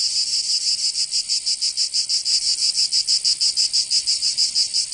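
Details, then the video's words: Summer cicada chorus from Provence in the south of France, a dense high-pitched rasping drone throbbing in regular beats roughly three per second, nothing else audible. "Canto Cigarra 🦗 [ Escuchar les cigarras en verano 10 H]"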